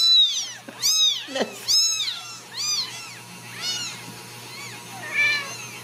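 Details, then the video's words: Ragdoll kittens in a central Kansas home cattery call in a rapid string of shrill, rising-then-falling meows, loudest at first and tapering off, over a faint constant hum. "Steward Ragdoll Kittens"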